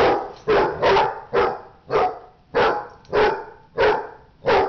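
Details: Dog barking during a fight: eight sharp, harsh barks in under five seconds, each a loud broadband burst at a steady, rapid pace.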